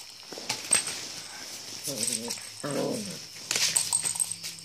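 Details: German Shepherd puppy in Imphal giving a few short, tonal whining cries with a wavering pitch around the middle of the clip, amid faint clicks and a steady high background hiss.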